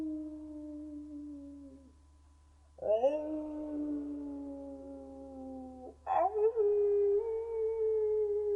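A wolf gives long, smooth howls, each held steady for seconds before sliding slightly down.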